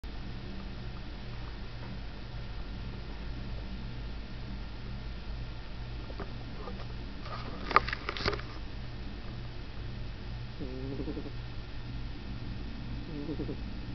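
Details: Spritzer, a cat sound asleep on an old bed indoors, snoring with low rumbling breaths in slow steady cycles; a brief rustle near the middle and faint murmuring sounds toward the end.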